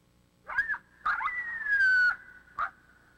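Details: A coyote's threat bark howl: sharp barks then several high-pitched howls and a long, slowly falling howl, threatening an intruder in its territory from about a hundred yards away.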